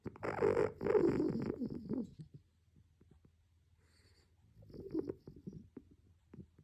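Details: Miron, a sleeping raccoon, snoring very loudly and heavily: a long rough, breathy rasp for about two seconds, a quiet pause with faint ticks, then a shorter, softer rasping breath.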